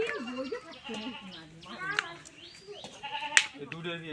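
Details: Village goat being milked, giving a wavering, nasal bleat with a trembling tone partway through, heard among steady Bengali conversation from people close by.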